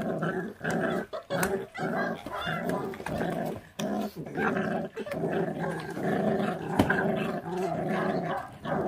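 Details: Growling from a feral dog puppy guarding food as it eats, born to a stray mother that neglects her litter; long run of rough, rattling growls, broken by short pauses and clicks of chewing.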